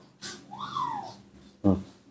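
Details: Newborn baby monkey, very hungry after waking, kept and hand-reared indoors: one clear whistled cry that rises then slowly falls, followed by a brief low human voice.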